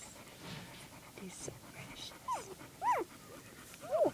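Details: Puppies with their mother, recorded on January 2nd 2011: three short, high, squeaky whines, each sliding downward, spaced roughly a second apart, over a quiet, faintly hissing background.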